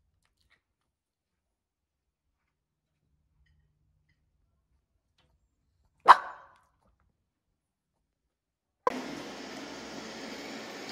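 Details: A young male Maltese dog lets out a single sharp, loud bark after a long silence while waiting for his owner to come back.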